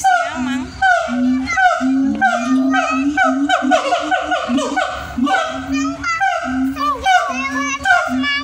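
Siamang giving loud, tonal hooting notes in quick succession, some swooping upward.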